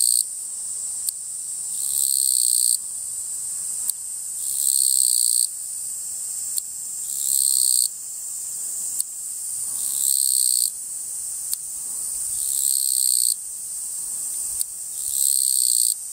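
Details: Japanese katydid singing: loud, harsh buzzy bursts of about a second, repeated every two to three seconds over a constant high, thin insect hum.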